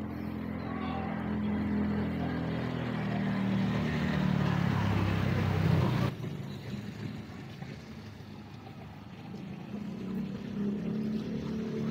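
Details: A low engine rumble swells and then cuts off abruptly, leaving steady traffic noise and faint murmured voices. No animal calls can be picked out.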